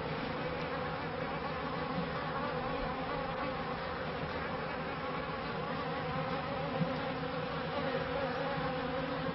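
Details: Steady buzzing drone of honey bees around hives in a 1994 bee yard, a thick continuous hum with layered mid-pitched tones and no breaks, only small flickers in loudness.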